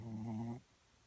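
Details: Small Shih Tzu dog snoring while asleep under an arm, cuddling indoors; one short nasal snore with a low steady buzzing tone lasting about half a second, then quiet.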